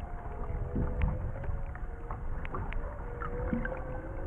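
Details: Underwater off Maui in 2018, three humpback whales give faint drawn-out tonal moans, several overlapping level notes, beneath dense low-pitched water rumble with sharp ticking and crackling sounds.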